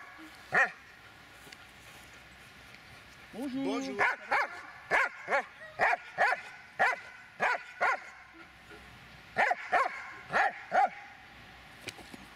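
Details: Adult Dobermann, aged eight years and six months, barking in sharp, evenly spaced bursts about twice a second, then a short pause and another run of barks; a person's voice is heard briefly before the barking starts.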